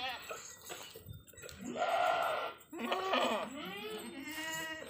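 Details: Desi goats on an Indian farm give loud, drawn-out wavering bleats, one long call followed by further quavering bleats, with a voice heard briefly at the start.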